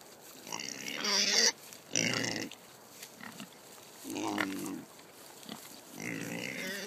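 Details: Excited Kunekune pigs at feeding time on a farm, given pumpkin, with the sow Jenny dancing and vocal. Shrill squealing bursts alternate with lower grunty calls, a few seconds apart.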